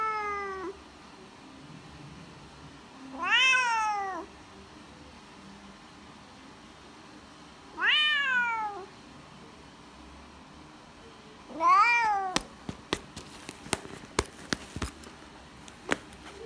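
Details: A Bengal cat meows in a vet's waiting room: loud, drawn-out cries that rise then fall, each about a second long, coming every four seconds, followed by sharp clicks and knocks.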